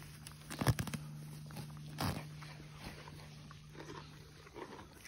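A donkey crunches and tears at grass, with irregular, crisp chewing sounds over a steady low hum.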